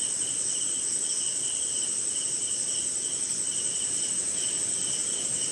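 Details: Night chorus of crickets during rain in an Indian jungle and swamp: an unbroken piercing high-pitched trill, plus a lower pulsed chirp repeating in quick bursts, with gentle rain hiss beneath.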